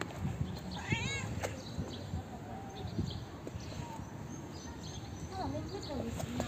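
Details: Female calico cat giving a short, high, rising meow early on, then softer, wavering, falling meows near the end, over steady low background rumble.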